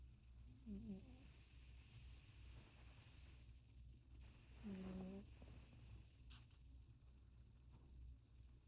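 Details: Sleeping cat giving two brief, low, buzzy snores about four seconds apart, soft breaths between them and a constant low background hum.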